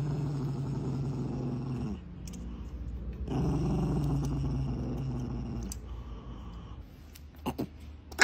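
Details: Low rumbling growls from an angry dog in two long bouts with a short gap between, fading near the end with a few faint clicks.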